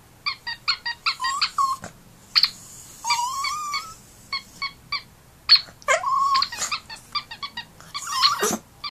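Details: Dogs reacting to a squeaky duck toy: rapid repeated squeaks from the toy alternate with drawn-out rising and wavering dog whines, some long and sliding, others short yips between squeak bursts.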